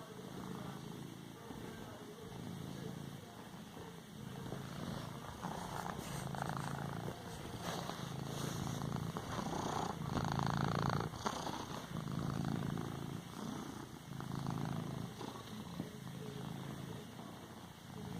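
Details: A pet cat kneads a cushion with its paws and purrs continuously, a low throbbing rumble pulsing with each breath roughly every one to two seconds, overlaid by soft fabric rustles and occasional brief louder shuffles.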